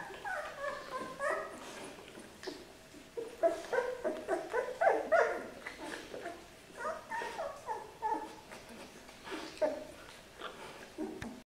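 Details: Two-week-old Boerboel pups, a litter from Charlie and Koukie in Portugal, giving rapid high whimpers and squeaks, many short harmonic cries tumbling over one another, with faint shuffling.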